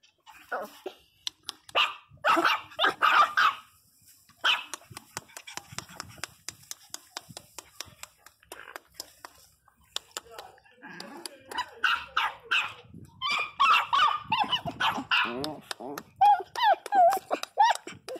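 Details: Loudly crying Pinscher called Teco: bursts of dense, shrill yelping and barking separated by quieter gaps, ending in wobbling, quavering cries.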